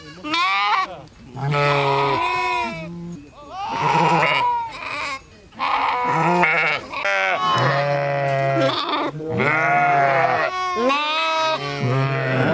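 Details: Sheep bleating almost continuously, about a dozen loud baas of varying length, some with a tremulous shaking quality, overlapping in places as if several sheep call together.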